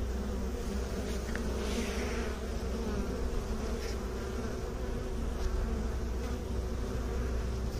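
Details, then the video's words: Bees humming in a steady, low droning buzz that continues without a break, with a dense layered hum and no other clear sounds. "Bee song"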